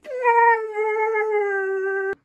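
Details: Maya the Siberian Husky argues with an Alexa device at home, giving one long, steady, slightly wavering howl-like note that lasts about two seconds and ends abruptly.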